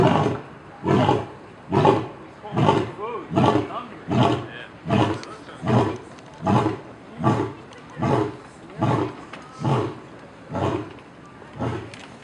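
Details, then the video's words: Big cat giving a steady series of short, deep, breathy grunts, about one every second, repeated evenly for over twelve seconds. "Suara cheetah, harimau dan sejenisnya " big cat sound""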